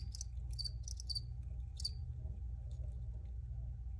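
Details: Crickets give a few high, bright chirps in the first two seconds, then fall mostly quiet, leaving faint distant chirps over a steady low hum.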